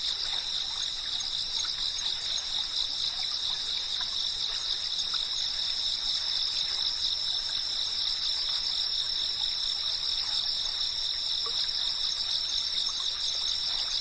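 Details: Cicadas keep up a long, even, high-pitched chirping chorus, several shrill tones sustained without a gap, while a soft hissing background and light scattered ticks sit underneath.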